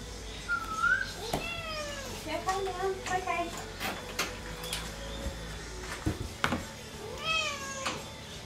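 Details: Tasha, a cat so excited about a walk that she falls over, meows again and again: several arching, rising-then-falling cries, some short and chirpy, mixed with a person's voice and thumps indoors.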